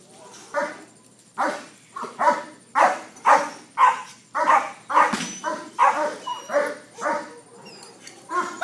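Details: Dog one week into protection training, barking in a fast, harsh series of loud broadband barks roughly twice per second, with brief gaps and faint background voices.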